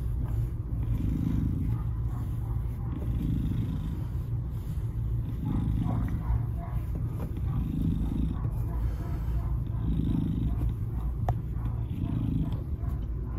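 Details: Purring from Salem, a black FIV-positive cat of 2.5 years given up by his owner, at Baltimore County Animal Services, Maryland, 07/02/2022; deep rhythmic purr with breath-like swells about every two seconds, continuous throughout.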